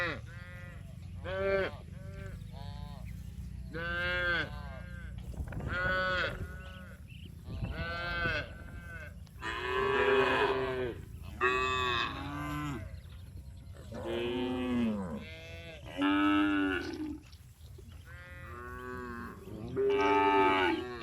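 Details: Tame cows herded back to the barn on a village farm in the afternoon, lowing again and again in overlapping, rising-and-falling harmonic moos of varied pitch, some short and some drawn out, over a low rumble of background noise.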